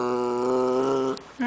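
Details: Jackshund dog crying at his granny: one steady, droning moan held for about a second, then a short breathy sound and a brief higher note.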